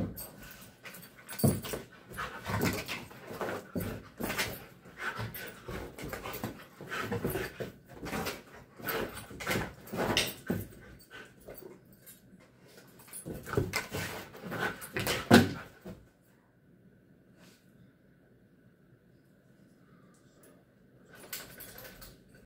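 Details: Female Belgian Malinois at play before her morning park walk: rapid, breathy panting bursts and soft whimpers crowd the first fifteen seconds, then the room falls almost silent, with one brief noise near the end.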